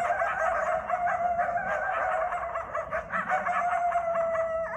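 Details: Eastern coyotes (coywolves) howl together at night in a backyard in Bellingham, Massachusetts, during the January–March mating season: a steady wavering wail laced with quick yips and broken barks.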